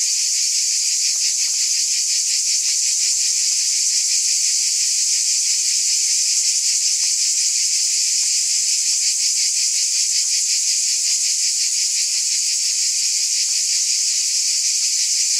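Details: A steady wall of cicada buzzing, shrill and hissing, throbbing gently a few times per second without a break, with faint scattered ticks beneath the continuous drone.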